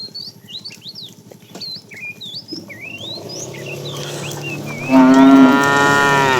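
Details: A fat tame cow among a herd driven in the afternoon, calling the female: after a stretch of twittering birdsong, one loud, steady, harmonic moo lasting about a second and a half closes the recording.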